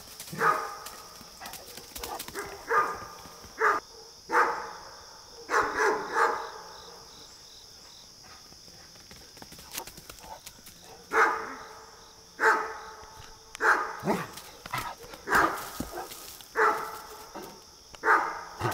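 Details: A Great Dane gives deep, booming barks in short bursts, with a quiet pause midway, at a neighbourhood deer.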